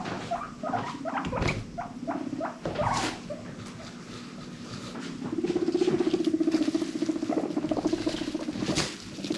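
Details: Rescued pet guinea pigs in a small indoor herd: short squeaky chirps and clicks in the first seconds, then a sustained low rumbling chutter pulsing steadily for several seconds with scattered rustling.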